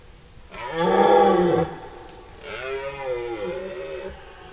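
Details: During the September rut, a red deer stag in forest gives a loud, hoarse roar lasting about a second, followed by a quieter, wavering, moaning roar that trails off.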